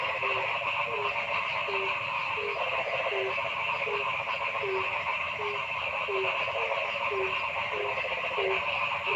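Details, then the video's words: Forest frogs calling: brief low croaks repeat in a steady rhythm about twice a second, layered over an unbroken, buzzing chorus of many callers. "Noisy Frog Sound in the Forest"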